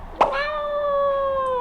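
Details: Pet cat back from five days in hospital with pancreatitis, calling loudly on seeing its owner: one long, steady, strongly harmonic meow held over a second and sliding slightly down at the end, after a brief sharp onset.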